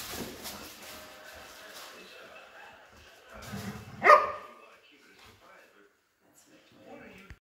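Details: Belgian Malinois playing with a new crinkle toy, giving one sharp loud bark near the middle after low grumbly vocal sounds, with quieter rustling and a human voice at the start.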